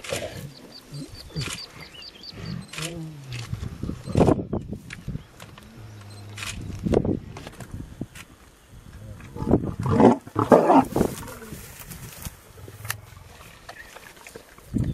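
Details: Lions in South Africa during a kill of a pregnant warthog: deep, rumbling growls swell in bursts, strongest around the middle, while people talk in low, surprised voices nearby.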